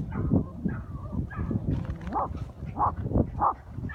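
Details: Patterdale terriers on a hunt, including 10-week-old Grim on his first hunt with Jett, Lil Bit and Boomer, barking at an armadillo found in a hole; short muffled yapping barks in uneven bursts over rustling, low ground noise.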